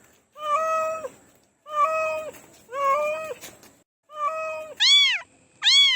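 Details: Cats meowing: four lower, flat drawn-out meows about a second long, then two higher, arched kitten-like meows, separated by short silences.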